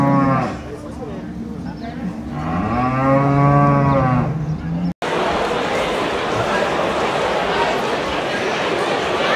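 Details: Brown Swiss cattle at the 2022 Appenzell cattle show in Switzerland: a strong, long, low moo swelling into a loud bellow, then the scene switches to crowd noise and chatter without cattle.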